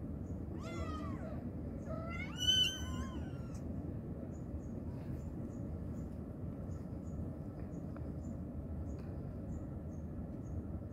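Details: Mother cat calling to her kittens with two loud meows in the first few seconds, the second longer and bending downward, then only a steady low hum with faint ticks.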